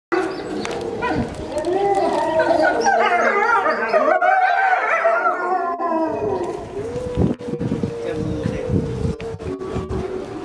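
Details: Chinese wolves at Tennoji Zoo howling together: several long, wavering, tonal voices overlap and rise and fall in pitch, then one steady lower howl carries on while others fade.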